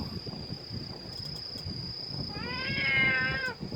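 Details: Cat giving a single drawn-out meow with a clear harmonic stack that rises then slowly falls, about a second long, over a steady high electronic whine and low rumbling background noise.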